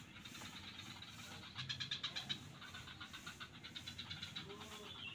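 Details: At Kuta beach, Bali, frogs in the swamps give a series of rapid, knocking pulses that swell mid-way, then fainter pulsed calls continue, over a low, steady rumble.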